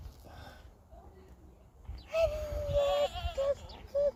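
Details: Goats at play in a pasture on a farm, described as happy: after a quiet, murmuring start, a wavering nasal bleat rises clearly, followed by two short, sharp bleats near the end.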